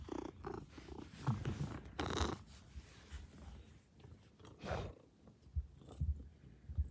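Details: Maine Coon cat greeting its owner arriving home, in a good mood; low rumbling purr with snuffling breaths and rubbing noises at close range indoors, a brief soft vocal burst near the start.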